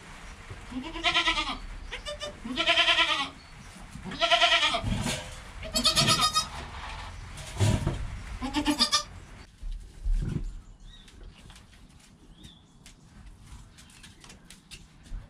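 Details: Bleating from newborn kid Joel less than an hour after birth, with his mother Penny calm alongside, captured on a GoPro: a run of about seven rhythmic, nasal bleats, followed by several seconds of near silence.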